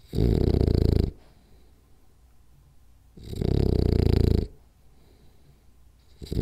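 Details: French Bulldog napping and snoring loudly: two rough, rumbling snores of about a second each, roughly three seconds apart, with near silence between and a third snore just starting.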